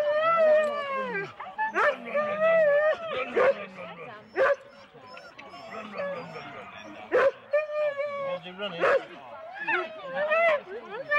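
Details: Eager Husky teams of four dogs at a sled race start in Rendlesham, January 2016, captured on analogue cassette. Overlapping yelping howls and whines rise and fall continuously, broken by loud sharp barks and nearby voices.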